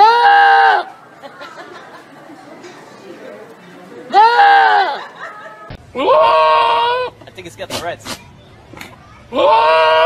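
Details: Loud, drawn-out goat bleats, each about a second long and rich in harmonics, come four times several seconds apart, with human voices and chatter between them.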